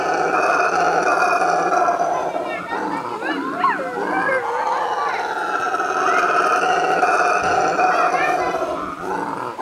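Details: A solitary male-typical brown howler monkey, resident for years at the same spot in Brazil, gives a loud, unbroken, guttural roaring call that swells and rumbles on, a territorial call audible hundreds of metres away.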